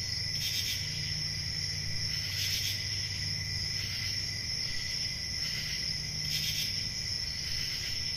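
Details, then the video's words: Summer night crickets in a forest keep up a continuous piercing trill, broken by three short rustling bursts spaced a couple of seconds apart, with faint low-pitched rumble below. "Relaxing Cricket Sounds For Sleep Ambient Summer Night"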